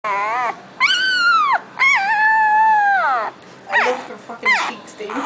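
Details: Boxer puppy howling indoors: long, tonal wails, one rising then sliding down, another held steady then dropping, followed by short yelping cries.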